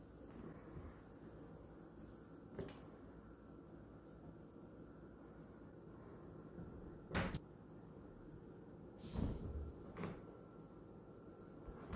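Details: Indoor room hum is broken by a few sharp knocks and thumps, like furniture or cupboard bumps, with no animal voice audible.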